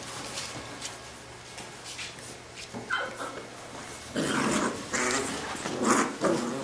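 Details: Labrador retriever puppies from a B litter at play: quiet scuffling, then bursts of rough growls and short yelping squeals in the last seconds, noisy and overlapping.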